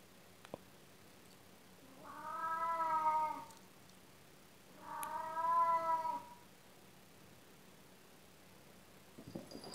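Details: An old male domestic cat at play gives two drawn-out, wavering caterwauls of about one and a half seconds each, richly harmonic and slightly falling at the end, separated by a quiet pause; indoors, with faint rustling afterward.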